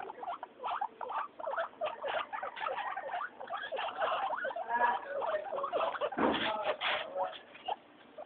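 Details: Weekly floor time for three happy guinea pigs, Mayumi, Archie and Miyuki: a busy mix of squeals, chirps and rising squeaks overlaps continuously, with one louder thud near the end.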